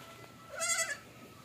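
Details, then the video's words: Goat that will not suckle, one short, vibrating, nasal bleat lasting under half a second against a faint steady background hum. "ang kambing ni bonso ayaw domidi"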